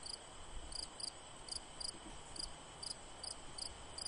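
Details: A cricket gives quick high chirps in short bursts, two or three pulses each, repeated several times a second against a constant background hiss.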